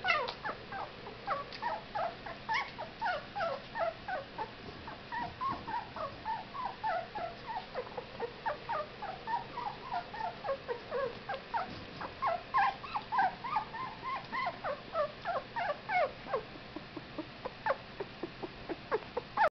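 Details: Fifteen-day-old Whippet puppies squeaking almost continuously, many overlapping short high whimpers and yelps in quick succession, a busy chorus of several pups with soft background hiss.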